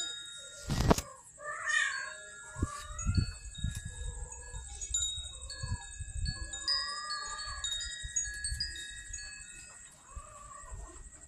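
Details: Street cats in Banyuwangi, Indonesia, hungry and angry because their food comes late, meow again and again: drawn-out, bending wails with a few short cries. Chime-like ringing tones, a sharp thump and a steady high whine run beneath them.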